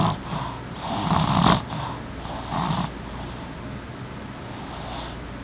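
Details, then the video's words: Sleeping pet Boston terrier named Emma; a rough, snorting snore swells for about half a second, then a softer second breath, followed by quiet breathing. "Emma - Snoring Boston Terrier"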